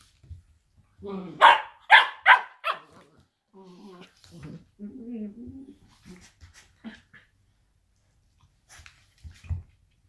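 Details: A blue roan working cocker spaniel gives sharp barks, then low rumbling growls while play fighting with another dog.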